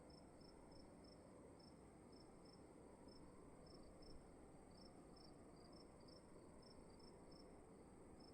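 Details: In a dark room at night, crickets keep up a long, even train of short, high chirps, about three per second, over a constant, fairly strong low hum and hiss.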